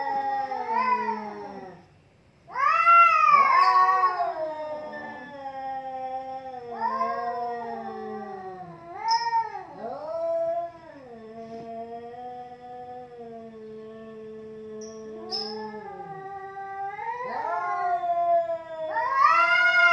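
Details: Two domestic cats fighting, a long drawn-out yowling exchange of rising and falling wails, rich in harmonics, some low steady growls between louder howls, with brief breaks and renewed surges of caterwauling.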